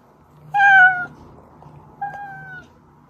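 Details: House cat meowing, a call used to coax hidden cats into view; one loud, clear half-second meow followed by a softer, longer, level meow about a second later, over low room hum.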